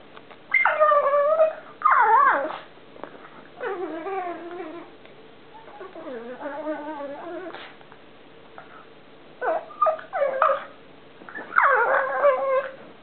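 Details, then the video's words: Pet pug Columbo making a strange noise during play: a series of wavering, howl-like whines with bending pitch, some swooping downward, separated by short pauses and snuffling sounds. "COLUMBO OUR PUG, PLAYING, FUNNY NOISE"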